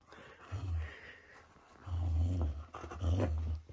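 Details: Whippet growling during a tug-of-war game indoors: three deep, rumbling growl bursts, short at first, then two longer ones close together, with quiet pauses between.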